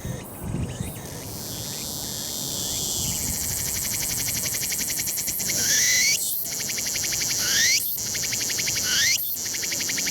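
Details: Tsukutsukuboshi cicada singing unseen after flying to the summit of Mt. Ino, Umi, Fukuoka, Japan, on a sunny 21 September 2022 in early autumn. A shrill steady buzz gives way to loud rising, sweeping phrases repeated about every one and a half seconds.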